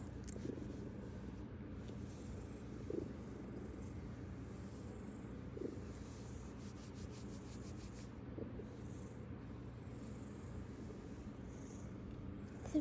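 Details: Purring of Wumi, a 19-year-old pet cat, recorded on 14 November 2025: a soft, steady, low rumble that continues through the whole stretch, with faint clicks and a quiet hiss above it.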